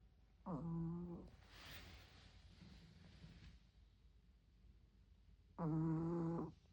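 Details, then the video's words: Tori, a 16-year-old dog, snoring loudly in her sleep: two droning, buzzy nasal tones about five seconds apart, each lasting under a second, with a softer breathy rush between them. "코골이 한번 우렁찬 16세 가나디 토리"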